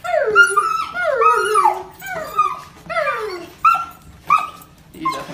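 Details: Dog whimpering with emotion as its owner returns home from a nine-month deployment: a run of high, wavering cries that slide downward, repeated in bursts about once a second, with shorter sharp yelps toward the end.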